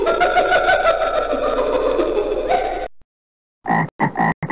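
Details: Frog croaking: a steady, buzzy, harmonic croak held for about three seconds, then a short silence and a few brief spoken bursts at the end.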